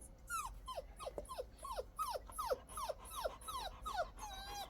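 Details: Young Labrador Retriever, once a stray puppy found crying in a drain and now four months into adoption, whining in quick falling whimpers, about a dozen in under five seconds, each sliding from high to lower pitch.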